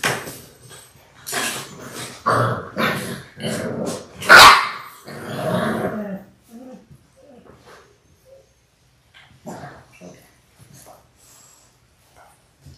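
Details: Six-week-old Labrador Retriever puppies from a litter of six born January 18, 2022. Rapid rough barking and playful growling build to a loud yelp, then fade to scattered soft yips and rustles.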